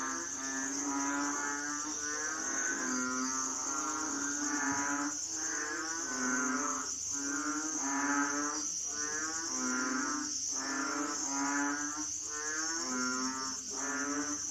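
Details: Asian frogs calling in a dense chorus: low, nasal, harmonic-rich croaks overlapping and swelling roughly every second, backed by a constant high shrill insect-like drone throughout.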